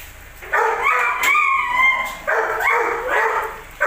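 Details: Belgian Malinois, with its aggression in question, gives a burst of rough barks, then a thin, steady whine, then another run of harsh barking.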